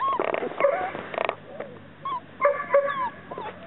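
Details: Chesapeake Bay Retriever puppies whimpering and yipping, a cluster of short high whines and squeaks with brief pauses between bursts, rising and falling tones, a person talking softly nearby.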